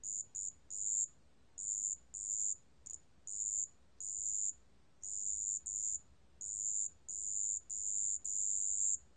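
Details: Irregular series of high, tinkling trills from a marsh bell cricket, mixing brief pips and longer half-second bursts with short pauses, from a 2020 National Institute of Biological Resources recording; faint hiss underneath.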